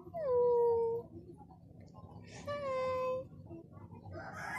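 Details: Scared kitten giving two drawn-out, steady meows about a second long each, the first louder and slightly falling, the second fainter with a thin overtone, over a low background hum.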